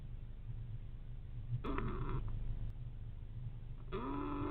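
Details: Sleeping adult male fox squirrel sheltering overnight in a nest box after a huge rain storm, snoring in a rapid low purring rumble, with a brief harsh burst midway and a rising, sustained nasal tone at the end.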